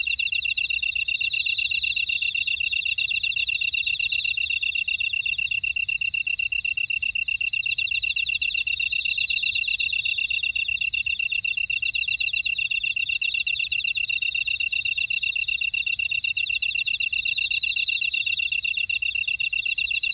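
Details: Jeju buckwheat field insects at Oradong, South Korea, singing together: a constant, even, high-pitched pulsing trill, several stacked layers of chirping, steady in loudness throughout, with a quiet background.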